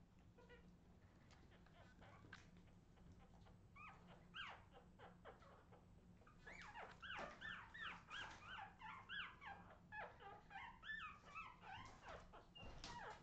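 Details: Australian Terrier puppies, 2018, giving many high rising-and-falling whimpers and yips, sparse at first then dense and overlapping in the second half, with a steady low hum underneath.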